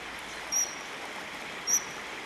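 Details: Around 10 a.m. on a small stream on the way to Monfragüe National Park, Spain, a Eurasian otter, one of three there, gives two short, piercing high whistles about a second apart over running water, calling to the second otter.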